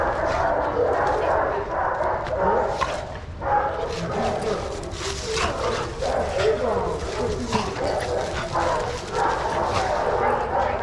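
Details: A yard full of shelter dogs at play, Pima Animal Care Center, Arizona; constant overlapping barking from several dogs in bursts, dipping briefly near three seconds, with people talking in the background.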